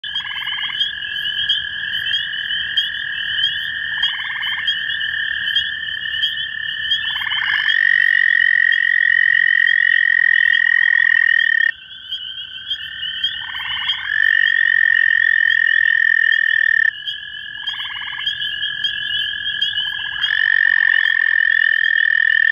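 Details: Two male American toads (Anaxyrus americanus) in Cuyahoga County, Ohio, in May 2015 call toward each other. Their long, steady musical trills overlap at slightly different pitches; one starts and the other joins partway through.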